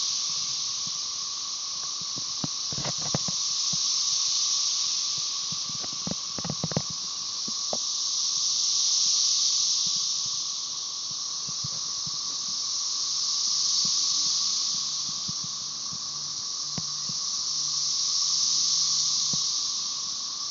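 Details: Chorus of cassini periodical cicadas, Magicicada tredecassini of Brood XIX, with M. tredecim behind, at Tyler Bend Park near Marshall, Arkansas, on 30 May 2011: a high, hissing wall of buzzing that swells and fades in slow waves about every five seconds.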